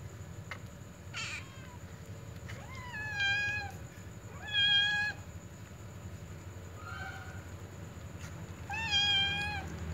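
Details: Little cats meowing around a ginger cat that is eating a meat ball, wanting to snatch the food; four clear harmonic meows, some rising and falling, spaced about two seconds apart, over a low steady hum.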